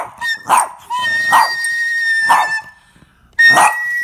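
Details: Boston Terrier Captain reacts to flute playing with a few hoarse barks spaced about a second apart, mixed with a long, steady, high flute tone that runs beneath them.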